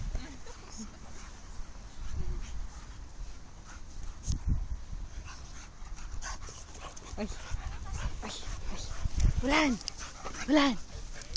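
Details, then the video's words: Puppies at play after puppy school, among them a four-month-old Amstaff and Golden Retrievers; scuffling rumble, then two sharp arched yelps near the end, with people chatting in Estonian over the noise. "Puppies playing."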